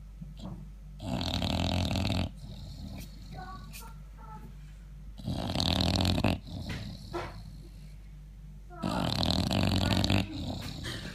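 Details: Loud snoring from an English Bulldog asleep indoors, with three long, harsh, rumbling snore bursts spaced several seconds apart and softer breaths and a little human talk in the gaps.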